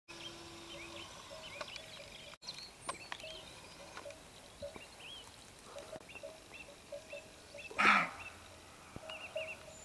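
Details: A single harsh, hoarse bark from a roe deer surprised while lying down at dusk cuts through soft birdsong; it runs off barking, warning two unseen females of people nearby.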